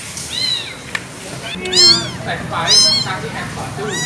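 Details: Abandoned kitten meowing insistently: high, wavering, harmonic cries in a string of overlapping calls, the loudest near the middle, with soft background noise and a brief click.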